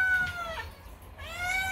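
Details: A male domestic cat, described as very dramatic and making strange noises instead of meows, screams two drawn-out, whiny complaining cries, the first sagging downward and the second rising.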